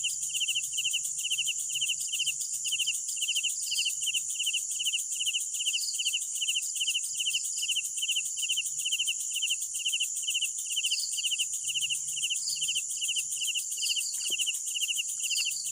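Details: Night crickets chirping in a regular train of brief pulsed bursts, about two or three per second, over a dense high insect hiss, with a soft low hum in the background.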